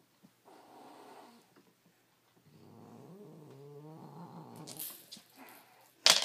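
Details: Domestic cat growling, snarling and hissing while defending his toy; low rumbling growl with a rising, wavering snarl in the middle, ending in sharp noisy hisses.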